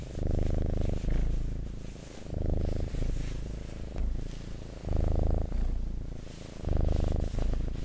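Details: Domestic cat purring: a deep, steady rumbling purr in long bursts of about one to one and a half seconds, swelling and fading with each breath, separated by short quieter gaps.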